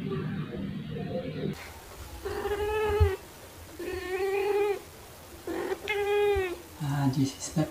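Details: Pet black cat and tabby cat playing with fluffy toys, recorded in late March 2021 on a phone with a shotgun microphone; three long, wavering meows arrive about two seconds apart over low rumbling handling noise.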